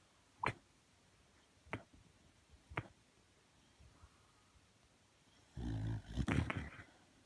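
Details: Sleeping Shiba Inu Sakura, whites of the eyes showing, makes sleep-talk noises: three isolated clipped yelps about a second apart, then a longer, louder muffled rumbling mumble near the end.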